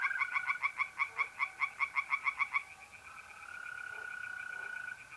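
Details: Tree frogs singing in a pond at night in mid-April, north-east Italy: a fast run of about thirteen loud, rasping pulses over two and a half seconds, then a steady high trill of mole crickets carries on alone.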